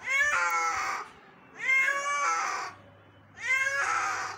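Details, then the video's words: Injured kitten found in the morning and being rescued, meowing loudly three times, each a drawn-out harmonic wail about a second long with short pauses between, indoors with a faint low hum. "Injured Cat Rescue 🤯 Kitten Meowing Rescue"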